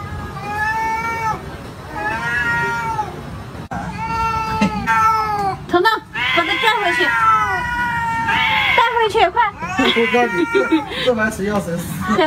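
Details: Cat giving long, drawn-out meows that rise and fall in pitch, two clear calls in the opening seconds, then a busier stretch of overlapping, wavering meows mixed with human voices.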